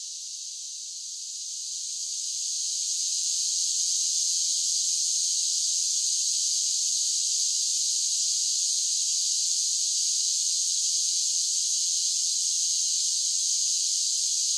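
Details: Chorus of cicadas in summer swelling up from quieter to full strength over the first few seconds, then a dense, level, high hissing buzz that carries on without a break.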